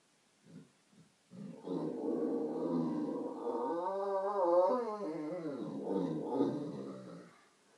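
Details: Great Dane named Doobie Doo doing his Sunday morning vocals, howling along to a Skype call: after a few soft grunts comes a long, sustained, wavering howl that bends down and up before fading, indoors.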